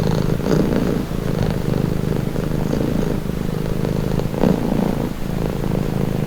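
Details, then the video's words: Continuous close purr of a pet cat, deep buzzing vibration with gentle rhythmic swells as the breath cycles, slightly louder near the middle, nothing else audible. "Purring cat"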